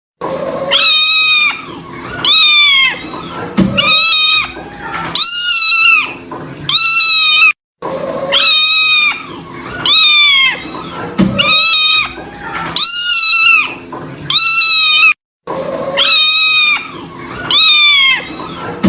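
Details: Kitten meowing in a sad-sounding way: loud, high, drawn-out cries with a wavering pitch, about five in a row, then the same run repeated twice more after brief silent gaps.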